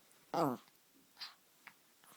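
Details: A white Chihuahua puppy gives one short, high, tuneful yip, then a soft huff and a faint click.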